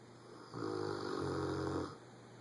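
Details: Rottweiler Boomer snoring loudly while asleep indoors; one long raspy, rumbling breath lasting about a second and a half, set against a steady low household hum.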